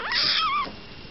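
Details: Tiny tabby kitten, introduced to an older cat for the first time, gives one loud high-pitched meow lasting about half a second, rising sharply then wavering and sliding down, with a quiet indoor background.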